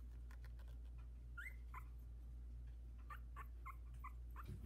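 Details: Havanese litter of four puppies, 16 days old, in a whelping box as they try out their legs; short high squeaks and whimpers come in scattered bursts over a steady low hum.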